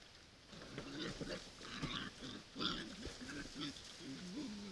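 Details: Wild boars at a feeder, caught by a camera trap, giving low grunts and squeals in short uneven bursts.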